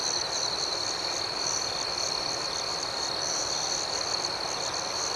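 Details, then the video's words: Crickets at night, a steady dense chorus of high chirping held in two bright bands that pulse gently throughout, with no other clear sounds. "Soothing Cricket Sounds"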